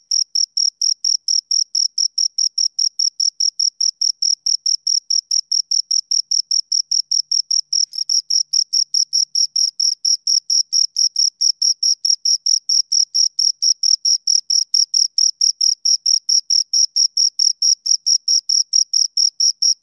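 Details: Two crickets produce a continuous high, ringing chirp of quick regular pulses, slightly louder in the second half, with nothing else audible.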